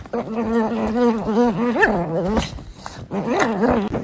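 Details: Dog in a comedy compilation giving a drawn-out, tonal whining howl with a wavering, warbling pitch and a rising squeak near the end, breaking off, then a shorter rise-and-fall whine after a pause.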